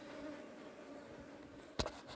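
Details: Honey bees humming around a newly hived wild colony, a continuous low buzz, interrupted near the end by a sharp knock and a short clatter.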